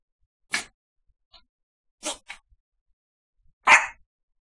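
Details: Dog barking indoors during an evening recording, excited because she sees a package of treats lying nearby; three short, sharp barks about one and a half seconds apart, with quiet between them.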